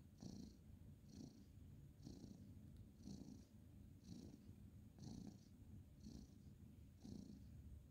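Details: Male orange tabby cat purring on a bed as he is stroked at bedtime, 2/11/2023; a soft, low, even rumble that swells about once a second with his breathing, faint breathy hiss on each pulse.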